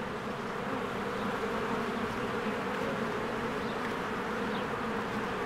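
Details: Busy honeybees streaming in and out of a hive in spring bloom, taken on a Canon EOS R; an even, dense buzzing hum from many insects, with a faint high chirp heard near the end.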